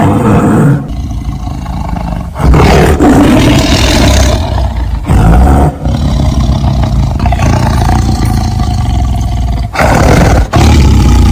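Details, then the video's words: Tiger roaring in long, loud, rasping bursts that are deep and harsh, separated by short breaks near one, two and a half, six and ten seconds. "Suara Harimau"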